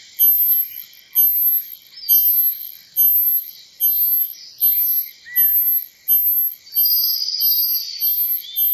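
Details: Cicada calling in strongly rhythmic, high-pitched buzzy pulses, nearly one per second, each swelling quickly and cutting off, with a brief whistled tone partway through.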